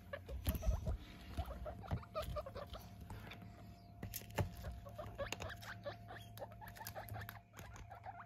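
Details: Pet guinea pigs, one of eight in a household being weighed, give brief soft squeaks and chuttering bursts, low and close, amid heavy rustling, scrabbling patter and handling thumps indoors.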